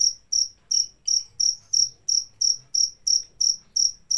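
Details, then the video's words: Cricket chirping in a steady, high-pitched series, about three short trilled chirps per second, each one bright and evenly spaced, with near silence between them and nothing else audible. "Suara Jangkrik pengusir tikus"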